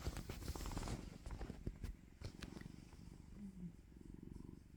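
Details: Indoor domestic cat, just woken from sleep and waiting to be fed, purrs in a low, steady rumbling pulse that runs almost without a break. A woman's soft voice is faintly heard now and then.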